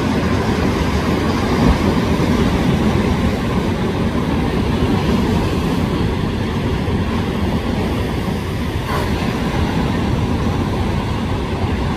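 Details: Steady roaring wind and surf noise along the California coast, with no animal calls heard.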